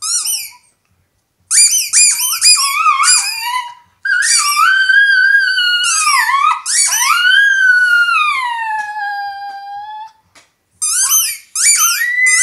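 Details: Female Italian Greyhound howling with her toy in a small room: bursts of shrill, rapid toy squeaks lead into long, sliding tonal howls that dip and fade, followed by more squeaking.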